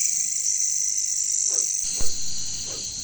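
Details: Katydids (bush crickets) in a jungle make a continuous high, hissing buzz. Two or three short lower croaks cut in, and a brief louder thump sounds near the end.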